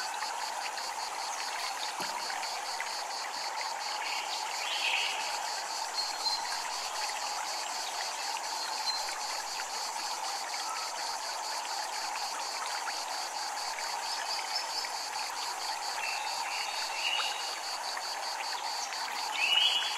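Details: Japanese temple grounds with cicadas: a continuous shrill, evenly pulsed buzz holds steady throughout beside the low hiss of flowing water, with brief whistled bird notes now and then and a soft chime near the end.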